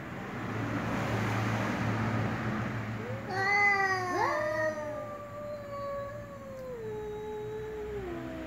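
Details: Two cats, one ginger and one black, meowing slowly: a long drawn-out meow starts around three seconds, first bending upward, then sliding gradually downward and fading over several seconds, over a steady low hum.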